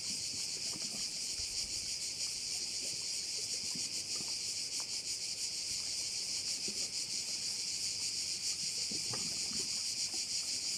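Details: Crickets calling together at one of the bays of Korčula: an even, piercing, rapidly throbbing buzz that never pauses, with faint low clicks and ripples in the background.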